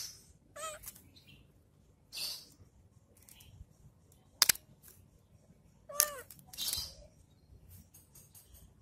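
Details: While playing with a stick, a cat lets out two brief, bending meows several seconds apart, with sharp clicks and rustles from the play in between.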